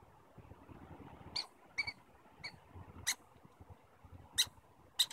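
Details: Squirrels in Stanley Park communicating with sharp, high squeaks spaced irregularly, some doubled, against faint low background noise.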